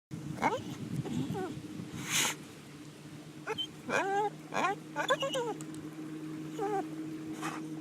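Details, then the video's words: Female rescue pit bull at the beach reacting to boats, producing odd whining, yodel-like rising and falling squeals in short bursts, with a steady engine-like hum underneath and a splash or gust midway. "funny dog making insane noises"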